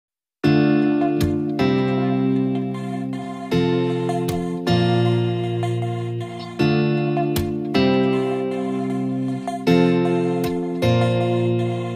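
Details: Plucked guitar music plays in repeated phrases throughout, and no animal is heard.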